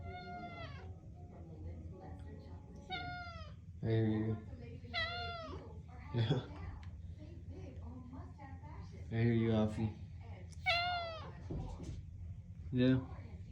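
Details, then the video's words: Hungry domestic cat that won't give up asking for food, meowing again and again in quick succession with wavering, rising-falling calls, while a person talks back to it in a small room. "When your cat wants food and won’t give up"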